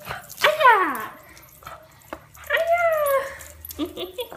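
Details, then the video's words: American Cocker Spaniel playing with a ball, giving two drawn-out whining yelps, each sliding down in pitch, with a person speaking Italian nearby. "American Cocker plays with ball"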